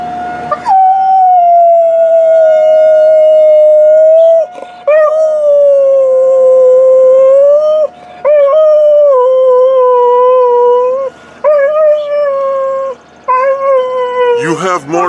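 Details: Tarzan, a purebred Alaskan Malamute, delivers a drawn-out opening howl of about four seconds, then a string of shorter wavering howls with brief breaks, ending in a noisy burst.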